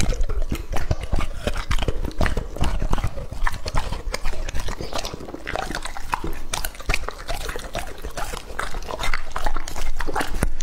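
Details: A two-and-a-half-year-old male English Labrador named Lucky devours raw meat, finishing the bowl. Rapid, uneven crunching and gnawing, with wet mouth noises and frequent crisp snaps over ten seconds.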